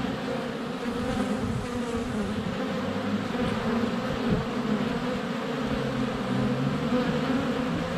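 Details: A sunny February day at a honey bee hive entrance, GoPro Hero 7 Black under a foot from the hive: constant dense swarm buzz with wavering low-pitched tones from bees flying past.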